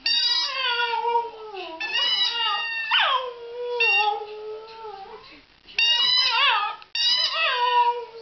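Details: Meg the Border Terrier sings a series of sliding, quavering howls, each phrase starting high and falling, broken by brief silent gaps.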